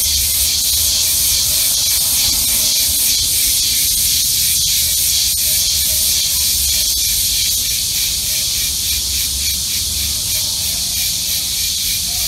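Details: Summer cicadas recorded with an iPhone app, their shrill hissing buzz throbbing about twice each second in an unbroken wall of sound, with faint low rumble beneath.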